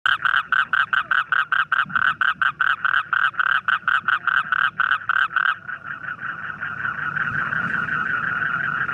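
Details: Frog calling: a fast train of pulsed, rattling croaks repeated about four times a second for five seconds, then a continuous buzzing trill, with faint background chorus.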